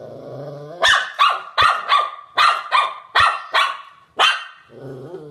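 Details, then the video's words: Shih Tzu barks roughly once a second, each bark sharp and high with a slight downward fall, over a low humming background that carries through the short clip. "SHIH TZU BARKING - SHIH TZU HOWLING AND BARKING COMPILATION 2016"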